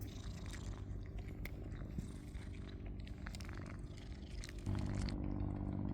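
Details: Stray cat on Cat Island, reunited with a visitor after months apart, with an ash-grey cat and a shy black cat present. A steady, low rumbling purr runs throughout and grows louder near the end, with light rustling and clicks above.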